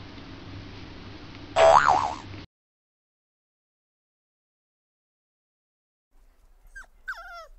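A French Bulldog gives a loud, dramatic whine that wavers and bends in pitch.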